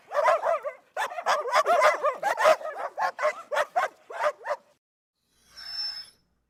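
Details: Dog barking: a rapid burst of about fifteen sharp, mid-pitched barks packed into under five seconds, some running together, followed by silence and a short faint hiss.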